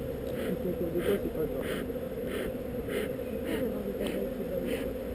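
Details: Western honey bees stirred by smoke during a honey harvest at parc du Coteau, Vitry-sur-Seine, Apidays 2012, upset as their hive is opened; a dense, steady low hum fills the clip, with faint rhythmic ticks above.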